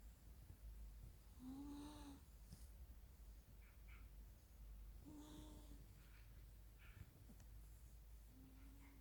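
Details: Female Persian Chinchilla cat sleeping in a living room at home, snoring with low, nasal, droning rasps on each breath, three snores spaced about three and a half seconds apart in an otherwise quiet room.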